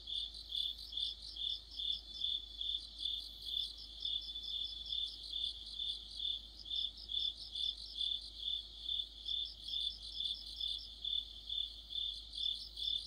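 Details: Crickets and other insects singing together in deep autumn by a streetlamp; continuous high ringing chirps pulse roughly twice per second, layered with a rapid secondary trill, over a quiet background.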